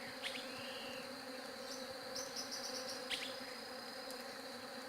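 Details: Bees humming in a constant low drone; a brief rising bird whistle, a quick run of high chirps and a couple of sharp clicks sound over it.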